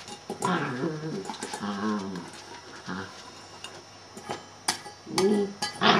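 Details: A male Shetland Sheepdog named Celtyr vocalizing: drawn-out, tonal, yowling barks with wavering pitch in several bursts, then a sharper cluster of louder barks near the end.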